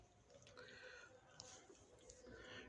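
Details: Domestic cat among a mother cat and her street-found kitten, the kitten now healed after vet treatment and eating again; a short, faint, slightly rising harmonic meow over a noisy background with low rumble.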